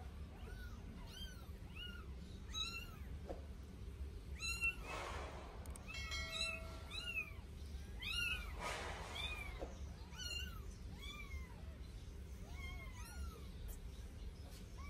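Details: Newborn Sphynx kittens, two of them at eight days old, cry through their first bath in a rapid, nearly continuous run of shrill arched mews, broken by bursts of water noise.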